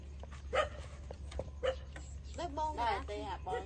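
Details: Suckling puppies 27 days old feeding from their mother: two quick yips, then a cluster of quavering, overlapping whines rising and falling, with a low background hum.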